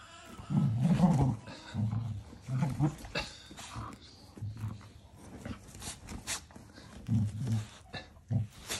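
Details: Cocker Spaniel puppy playing with a huge basketball indoors, giving low, rough growls in short bursts of about a second, repeated irregularly, with quieter grumbling between and faint background voices.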